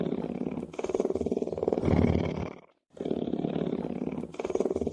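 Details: Lion purring: a deep, rumbling, finely pulsed sound in long breaths, with a brief silent pause near the middle before the rumble resumes.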